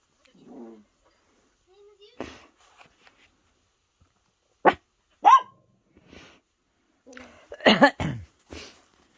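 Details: Two pet chihuahuas, Xena a puppy and LuLu aged two, give sharp, high yappy barks in short bursts, one pair midway and a clustered volley near the end, with soft whimpers and a person talking between them.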